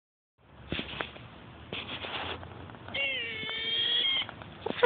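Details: A squirrel, seemingly barking at a passer-by, gives harsh, raspy chatters, then a drawn-out, slightly falling whine; unusual noises the observer had never heard, wondering if it was hurt.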